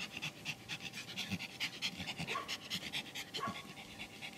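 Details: Pomeranian from a kennel in Kyiv, rapid rhythmic panting, fast breathy huffs roughly twice a second, faint human voices in the background.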